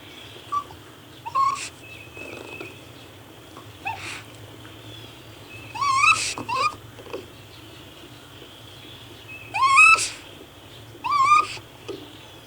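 A raccoon gives short, wavering whistled chitters in scattered bursts over a faint steady hum.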